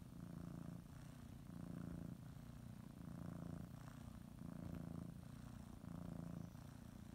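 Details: Pet cat kneading a blanket and getting ready for a morning nap, purring; deep buzzing rumble in alternating inhale and exhale phases, each lasting roughly a second, close and steady.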